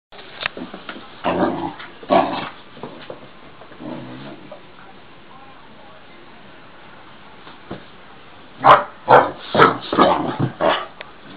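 A Basset Hound puppy yaps softly a few times early on, then falls quiet. Near the end it lets out a rapid run of louder, higher barks, with faint voices in the background.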